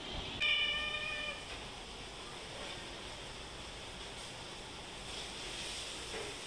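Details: Hungry house cats, one of 22 that live indoors and sometimes go out, meowing for food one afternoon while being fed fried fish with rice; a single clear harmonic meow about a second long, then steady background hiss.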